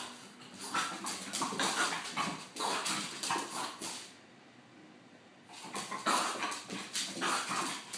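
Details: Ziggy, a happy French bulldog, spinning indoors: rapid rough snorting and grunting bursts, several per second, broken by a short lull before the excited puffing resumes.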